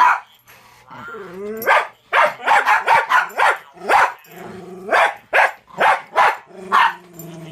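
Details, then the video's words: Rapid, uneven barking from a one-year-old Jack Russell Terrier reacting to a talking Furby toy, about two barks per second, some with whiny tonal tails, after a brief warbly chirp from the toy. "My Jack Russell reacts to Furby"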